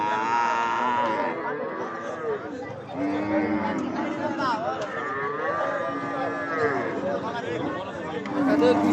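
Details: Several long, wavering moos from cattle at a crowded cattle market in Gazipur in the days before Eid al-Adha, with buyers and sellers chattering throughout.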